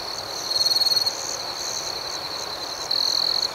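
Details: Crickets at night, a steady high trill with two louder bursts of rapid pulsed chirping, one near the start and one near the end, above a softer second chirping band and a faint hiss.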